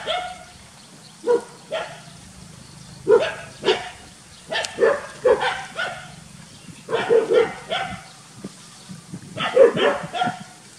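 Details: Village dogs Pao and SokYaa bark loudly while SokYaa is frightened: short, sharp barks come singly or in quick pairs at uneven intervals, about fourteen bursts over eleven seconds, with a faint low hum underneath.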